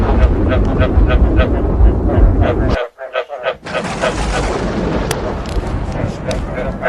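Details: Frog chorus mixed with thunder, meant to make frogs want to breed. Quick repeated nasal croaks over heavy low rumbling, with a short near-silent break midway before the croaking and thunder resume.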